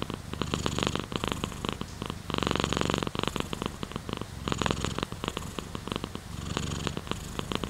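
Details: Contented purr from a pet cat, thick throbbing drone with fast regular pulses, swelling into longer loud stretches and dipping between breaths.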